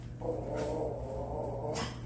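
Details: Chihuahua throwing a temper tantrum indoors: a continuous low, rumbling growl lasting about two seconds, with a short sharper burst near the end; a person speaks just before and after.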